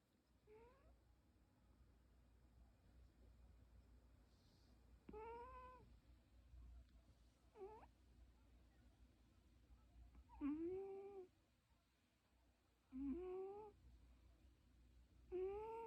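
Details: Domestic cat indoors making a strange sound: a series of rising, drawn-out meows with strong upward-sweeping harmonics, roughly every two to three seconds, six calls in all, some ending in a bent, wavering tone.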